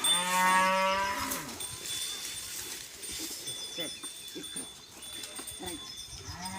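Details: Khillar cattle, a native breed from Maharashtra, gives one deep, drawn-out low moo lasting just over a second. Clattering knocks and scattered field noises follow, with a steady high tone underneath.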